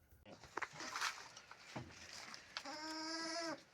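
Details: Sheep in a rural countryside flock around the birth of a lamb to the oldest ewe. Rustling and handling noises come first, then one long, steady, nasal bleat with strong overtones.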